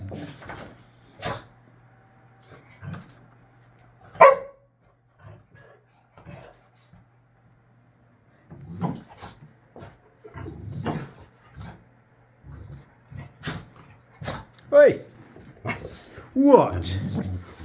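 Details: A Boxer dog, Layla, still sulking over a bottle cap she cannot have, lets out intermittent barks and whiny grumbles indoors while a person questions her.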